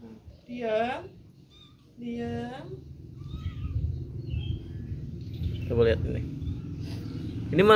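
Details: Cat giving two short meows, each a bright wavering note that slides downward, about a second and a half apart, followed by people chatting in Indonesian over a low steady hum.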